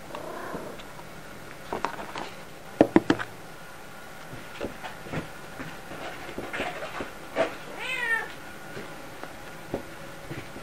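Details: Domestic cat sitting and waiting to be fed at mealtime gives a short meow near the start and a longer wavering meow later, amid light clicks and taps, with a woman's voice asking whether it will eat.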